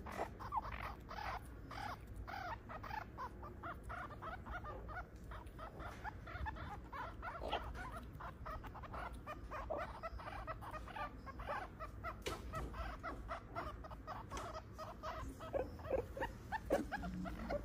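Meerkats give a steady stream of short, sharp chirps and squeaky peeps.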